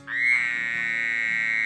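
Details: A Pine Barrens tree frog in its New Jersey Pine Barrens habitat gives a nasal, honking call held on one steady pitch.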